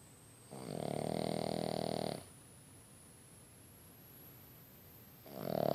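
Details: Sleeping Boston Terrier puppy gives one drawn-out, buzzy snore lasting over a second and a half, then falls quiet before the next snore starts at the end.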